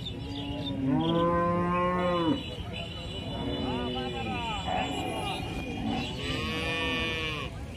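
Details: Several cow moos follow one another: a loud, arching moo first, then softer drawn-out lowing calls that rise and fall. Faint voices and a low rumble sit in the background.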